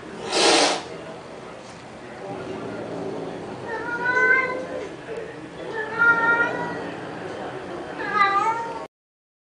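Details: Cats squabbling over a pink toy Mustang: a loud broad burst opens, then three drawn-out, wavering meows with bright layered tones near the middle and end, over soft human voices.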